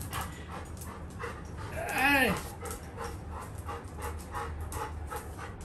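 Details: Little John, a Labrador Retriever puppy, as his brother tries to punish him for misbehaving: one drawn-out whining yelp arches up and falls away near the middle, rich in overtones, with people talking and household noise around it.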